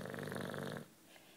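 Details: Juanito, a 9-year-old British Bulldog, asleep indoors, gives one rattling snore that cuts off abruptly partway through, leaving a quiet room.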